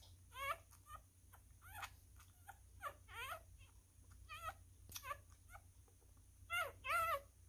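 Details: Newborn miniature schnauzer puppy being hand-fed, a messy eater: short high squeaky whimpers and squeals with wavering pitch, about a dozen bursts spread unevenly, against a steady low hum indoors.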